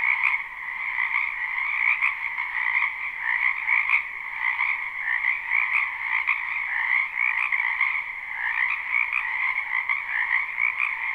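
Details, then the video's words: Frogs gathered in a wetland during spring, croaking together in a live recording: a thick, unbroken wall of rapid trilling calls, bright and buzzy, rising and falling gently in loudness throughout. "Ambient Noise for Sleep Frogs"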